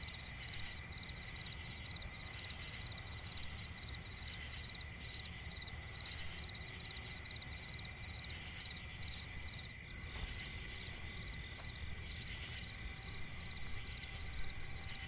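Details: Crickets in a swampy night forest produce a continuous shrill chorus of pulsed chirps, with a few fainter brighter bursts and a brief dip around ten seconds, over low ambient rumble.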